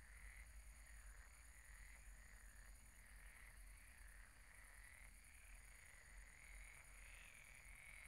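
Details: Frogs croaking at a pond at night: a dense, continuous chorus of overlapping mid-pitched trills that swell and fade in waves every second or two, over a steady high insect-like buzz and low rumble.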